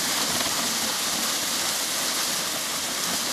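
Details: A dense, even hiss like rushing water or rain fills the whole recording, with no animal sound.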